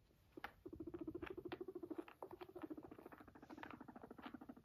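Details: Guinea pig (Cavia porcellus), purr.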